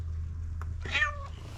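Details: Street cat meowing constantly and insistently for food; a single short meow rising and falling, over steady low hum, with a woman speaking softly around it.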